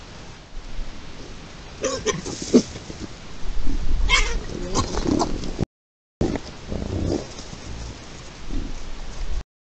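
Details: A group of wild boar (Sus scrofa), filmed on 11 August 2023 in lynx territory, Spain, gives low, rough grunts mixed with a few sharper squeals.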